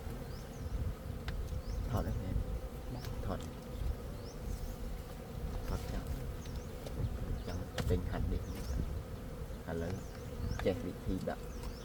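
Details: Gold honey bees buzzing in a dense, steady hum with a low drone and a constant mid-pitched tone, broken by faint sharp chirps and clicks overhead.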